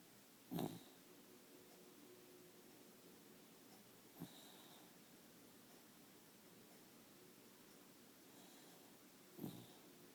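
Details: Sleeping dog snoring loudly indoors: three short rough snorting breaths, about four to five seconds apart, over a quiet steady room hiss.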